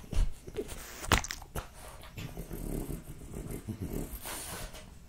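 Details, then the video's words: Jessica, a French Bulldog, eats raw lamb cutlets, beef schnitzel and BBQ pulled pork indoors: sharp crunching bites with a loud snap near one second, then steady wet chewing and low smacking, roughly one chew per second. "French Bulldog Eating Raw Lamb Cutlets, Beef Schnitzel & BBQ Pulled Pork"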